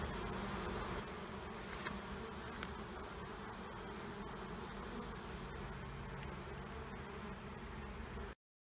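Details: Honey bee swarm from colonies under a trailer at Panama City, being removed: steady low droning buzz of many bees, slightly louder at the start, ending abruptly in silence.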